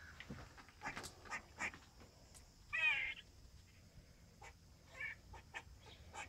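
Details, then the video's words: A squirrel on a window sill in the morning gives a sharp, hoarse, barking chirp amid scattered faint clicks and ticks. "Barking squirrel"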